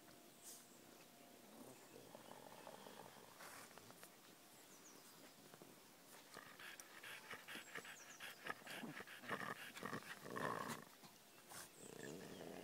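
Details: Pet dogs panting and grumbling in rough, breathy bursts about four times a second, growing louder and busier toward the end, with faint high bird chirps in the background.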